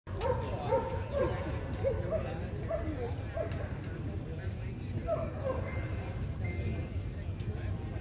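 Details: Barking at a German Shepherd show in Vietnam, the VSM 2020 class for males aged 18-24 months, held 5 January 2020: repeated short barks about twice a second, overlapping announcer speech and crowd murmur.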